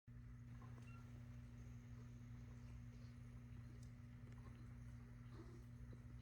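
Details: A sleeping British Shorthair kitten purrs in a low, steady, continuous rumble.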